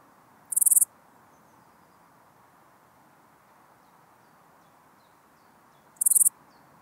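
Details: In Elsbethen, Austria, on 26 September 2021, a Small Gold Grasshopper makes two brief, shrill, pulsed chirps about five and a half seconds apart, with quiet in between.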